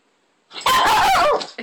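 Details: Tobee the Shih Tzu, indoors, keeping hold of the TV remote so cable can't be watched; a loud, harsh snarling growl-bark of about a second with a wavering tone, then a short trailing yip.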